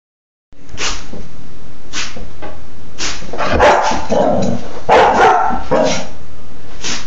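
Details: Female Dobermann puppy, four and a half months old, barking while playing, recorded February 26, 2011; short, sharp broadband barks about once a second, some doubled, with rougher, throaty bursts in the middle.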